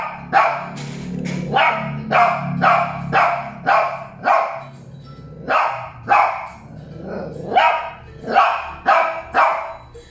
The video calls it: Shih Tzu Barking 1 (Molly and Loly)